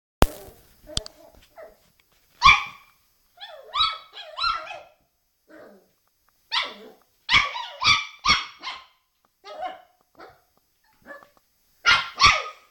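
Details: Puppy playing in front of a mirror, yapping in short high-pitched barks and yelps that come in uneven bursts, some doubled or tripled, with quiet gaps between them indoors.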